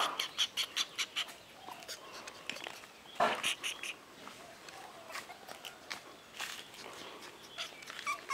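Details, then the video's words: Kennel-bred Pomeranian puppy letting out quick bursts of sharp, high-pitched yelps and squeaky whines, clustered early and again near the end, irregular in timing over a faint background hiss. "Pomeranian puppy"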